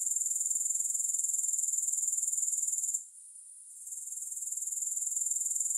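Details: Grasshoppers producing a dense, high-pitched insect buzz made of rapid even pulses, about four per second, which drops to a faint hiss near the middle for a second before the pulsing chirr resumes; no music or other sounds.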